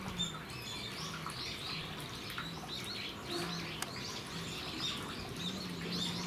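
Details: Captive Geoffroy's spider monkeys at Japan Monkey Centre, Aichi, Japan, on 13 December 2018: a steady stream of short, high arching squeaks and chirps overlapping one another, with a low hum beneath.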